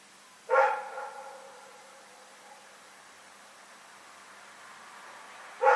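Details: A single ringing bark from Rex, a dog barking in the night on February 27, 2018. It echoes away over about a second, then comes a long silence before the next bark starts at the very end.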